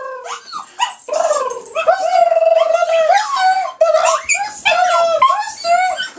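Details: A dog making strange drawn-out whining yowls, sustained and wavering in pitch, broken into several rising and falling moans with short yips between them.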